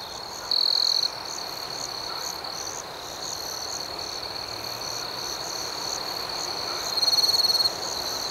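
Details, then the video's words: Crickets chirping through the night: steady high trill and rhythmic pulsed chirps, with two louder shrill bursts, one early and one near the end, over quiet hiss. "Soothing Cricket Sounds"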